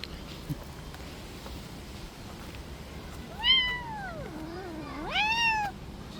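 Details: Street-living stray cat, after playing too roughly, utters two clear meows about one and a half seconds apart: the first arches up then sinks low, the second rises sharply and trails off. Quiet background otherwise.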